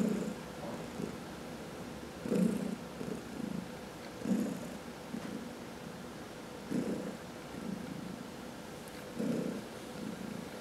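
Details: Massaged domestic cat, one of four in the household, purring in a deep steady drone that swells every one to two seconds, with light rustling touches in a quiet room.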